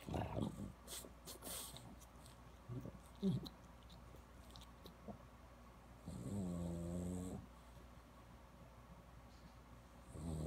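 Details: Cosmo, a French Bulldog in Palo Alto, California, known for grunting and farting: low snuffly snorts and wheezes, a sharp snort near three seconds, then a drawn-out, buzzing grunt lasting over a second, with quiet breathing noises between.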